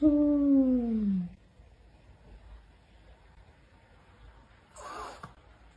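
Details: Talking cat giving a long, drawn-out meow that starts high and slides downward over about a second, followed by quiet room noise and a brief soft rustle.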